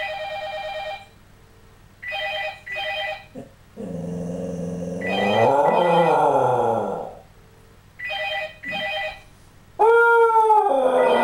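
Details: A Scottish Terrier howls along with a ringing phone, its long, wavering, wolf-like voice rising and falling between rings.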